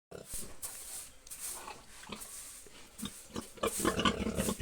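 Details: Young boar, around seven months old, grunting in short broadband bursts near two and three seconds, then a denser run of rough grunts toward the end over steady background noise, with possible voices mixed in.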